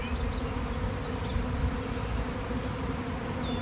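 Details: Swarming honeybees, thousands of them everywhere on a nice day, making a constant low droning buzz like a drone overhead, while birds give short high chirps and whistles in the background.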